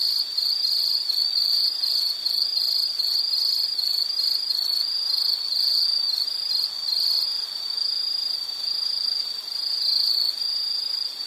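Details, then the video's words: An insect trills without pause in a relaxing nature recording, a shrill high pulsed buzz holding a constant pitch with slight swells in loudness over a soft background hiss. "Nature Sound of nature sounds scenery L · insect"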